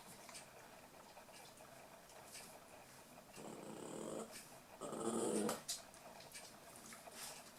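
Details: Eight-week-old toy poodle puppies from Tami's last litter at play: two short growling bursts, the second louder and rougher, amid soft scratching and pattering of paws.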